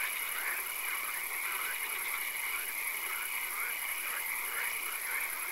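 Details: In a swamp after dark, a crowd of frogs produces rhythmic, overlapping croaks and pulsed trills against a constant high hiss.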